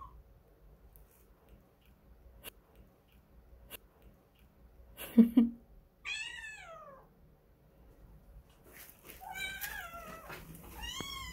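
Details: Stray kitten of the cat Kkandol calling for its mother, who wants to be left alone: a thump, then a long descending meow, followed by a couple of shorter high meows near the end.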